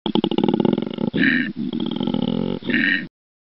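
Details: A koala (Phascolarctos cinereus) gives a deep, rasping bellow of rapid snoring pulses broken by harsher, drawn-out roaring notes.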